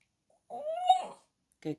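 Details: Female French Bulldog puppy Bambi, prompted by her owner to say hello, gives one drawn-out tonal whine that rises slightly and holds for under a second, then a short clipped sound, with her owner's encouraging voice around it.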